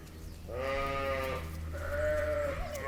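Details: Ewe and lamb in a meadow: two drawn-out bleats, the first full and wavering, the second thinner and steadier, over a low constant hum.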